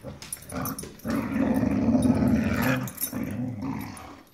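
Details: Dogs fighting over a rope toy let out one long, harsh, vibrating growl of nearly two seconds that swells in the middle, preceded and followed by shorter grunting snarls.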